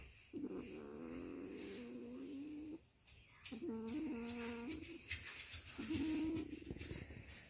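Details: Two 13-day-old Weimaraner puppies at sleep time whimper and whine in long, wavering, nasal cries, with rustling between calls.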